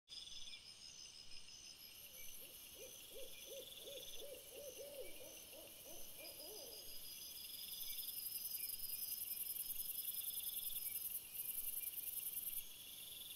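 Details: Red fox after sunset on 17 April 2021, captured by a trail camera: a run of about a dozen short, hooting, arched barks, roughly three a second, lasting some five seconds, over a steady high electronic whine from the camera.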